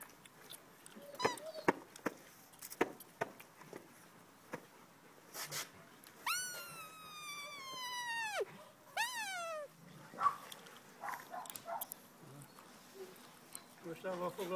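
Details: Rottweiler puppies of one litter playing indoors: a long high whine bending slightly downward for about two seconds, then a shorter falling whimper, among scattered clicks, scuffles and brief yips, with a person speaking Hungarian quietly.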